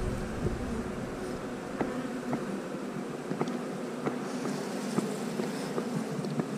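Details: Honey bees from a colony removed from a house, their queen cells to be cut out for splits: a steady low droning hum with faint overtones, broken by sharp clicks and taps from hive handling.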